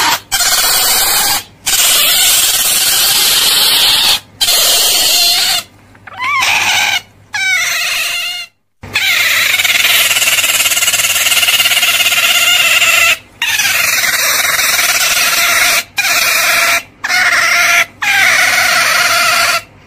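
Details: Otter giving long, shrill, harsh squeals in sustained bursts broken by short silences, with a faint higher chirp near the middle.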